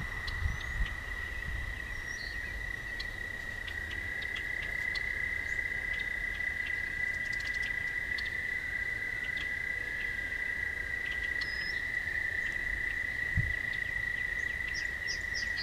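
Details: Toads sing at night along a walking path, in a steady, high musical trill that barely pauses.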